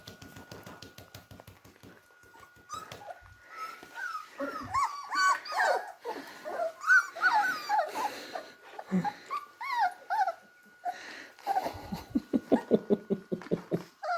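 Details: Playing beagle puppies, three and a half weeks old, trade rapid squeaky whines and small yips at an uneven pace, then break into low grumbling growls and faint scuffling near the end.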